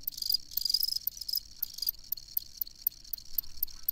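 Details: Cricket giving loud shrill chirp bursts at first, then spaced, sharp high ticks repeating about every quarter second.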